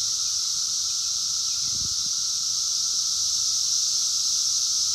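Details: Brood X 17-year periodical cicadas calling in the wild during the 2021 emergence, phone recording: a constant shrill, hissing wall of sound with a steady lower tone, one brief low bump near the middle.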